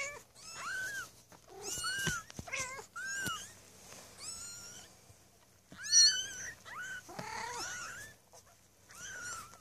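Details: Maine Coon kittens, six born on 8 May 2015 at a cattery, mewing repeatedly in high, rising-then-falling cries, many short calls crowding together with a few louder squeals.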